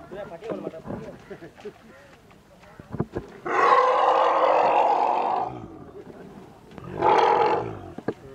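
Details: Elephants fallen into a well, a mother with her calves, during a rescue. After a stretch of murmuring and clatter, one long harsh bellowing roar lasts about two seconds, followed by a shorter roar near the end.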